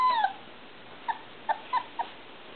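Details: Irish Setter puppies, three and a half weeks old, from Sassy and Gotti's litter, whimpering to get out of their box: one long, high descending whine, then four short, thin whimpers spaced about half a second apart.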